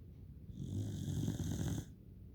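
A Pembroke Welsh Corgi snores with a low, rough, rattling breath lasting over a second.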